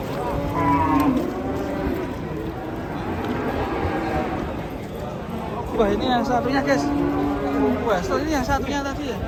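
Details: Raging cattle giving loud drawn-out moos, one near the start and a longer, rising bellow later, with other lowing cattle and faint voices behind.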